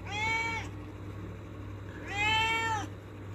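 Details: Angry house cat asking for a door to be opened gives two loud, strained meows about one and a half seconds apart. Each is level and then dips at the close, with a faint steady hum between them.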